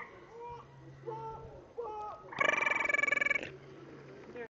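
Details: A frog, its throat sac inflating, gives a loud, harsh, rapidly pulsed call lasting about a second, with people talking around it.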